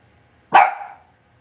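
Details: A single sharp, high yip from a Cavalier King Charles Spaniel puppy in an indoor puppy pen at a home kennel. It is loud and abrupt, with a brief fading tail in a quiet room.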